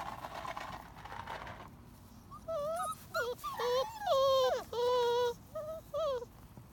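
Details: German Shorthaired Pointer puppies from a litter of six females and three males whimper in a string of high, wavering whines that rise and fall. They start after a murmur of human voices, and the later whines grow longer and louder.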